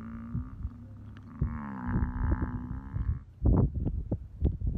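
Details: Sleeping buffalo being eaten alive by a hyena: a drawn-out, low moaning bellow with rich harmonics lasting about three seconds, followed by rough, thumping bursts of noise.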